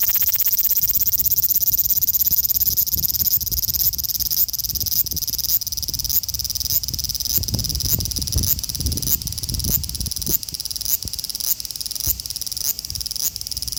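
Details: Male large brown cicada (Graptopsaltria nigrofuscata) calling in Osaka City, Japan, on 5 August 2019, phone-recorded with an Xperia XZ1; a continuous shrill frying buzz broken by short regular dips, with some low rumble mid-way.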